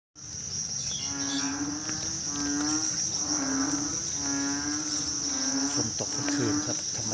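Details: Frogs calling at night after rain, a steady chorus of low nasal pulsed calls repeating about once a second, over a constant high insect whine and background music.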